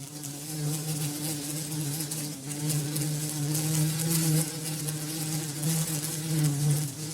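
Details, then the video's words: Bumblebee buzzing steadily as it moves among flowers, a deep, continuous low drone with rich overtones that swells and fades slightly as the insect shifts position, with faint background hiss. "BUMBLEBEE SOUND"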